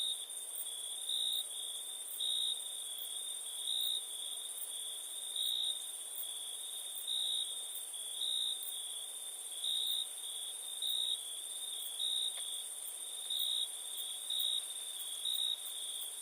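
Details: Crickets calling at night in India, a steady high trill near 8k with a second pulsing tone around 4k that swells in short bursts roughly every second or so, over a quiet night background.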